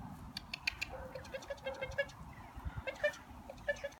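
Lhasa Apso puppies give short, high, squeaky whines and yelps in quick, overlapping bursts.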